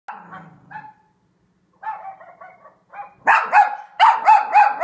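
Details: A Cavalier King Charles Spaniel barking at dogs on TV gives a run of sharp, high barks that grow louder and faster.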